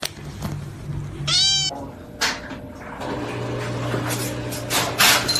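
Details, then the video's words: A kitten gives one clear meow, a short arched cry with bright ringing overtones, followed by scattered clatter and a steady low hum in the background. "cats meowing"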